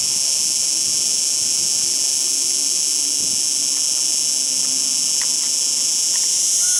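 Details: Steady, piercing buzz from a singing cicada fills the recording, with faint low rumbles and a few soft distant chirps underneath.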